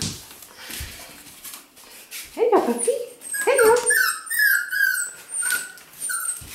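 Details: Black female F2 Pomsky puppy, six weeks old: after soft background noise, a series of high, wavering whines and squeaks begins midway and repeats irregularly, with a woman speaking praise nearby.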